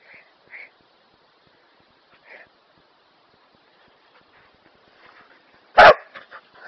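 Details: Kerry Blue Terrier at home trying to tempt its owner into play: a few soft, short murmurs spaced out, then one sudden loud, sharp bark near the end followed by brief quieter yelps; otherwise a quiet room.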